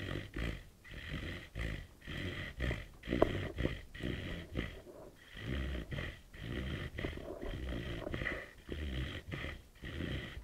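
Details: A puppy snores in its sleep at night, loud enough to wake someone. Steady throaty snorts pulse roughly every 0.8 seconds in an even, rasping rhythm, broken by one brief click-like squeak.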